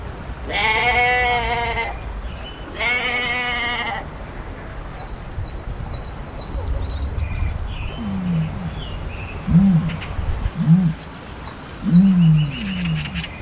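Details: Goat in an animal-sound compilation, giving two quavering bleats in the first four seconds, followed by a series of low, short grunting sounds and faint higher chirps over constant background noise.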